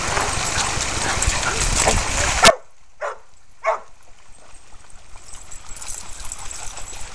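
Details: Brule, a red and white purebred male Australian Shepherd aged one and a half, at Bear Creek Dog Park where he herds other dogs; after a loud stretch of outdoor noise cuts off, two short sharp barks sound about half a second apart.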